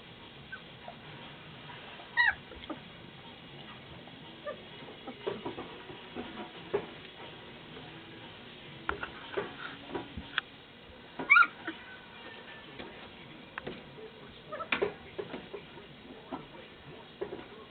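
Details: Golden Retriever puppies, 19 days old, wrestling during play; brief high squeaks and thin whimpers break out at intervals among soft rustling, scuffling and light thumps, with quiet stretches between bursts.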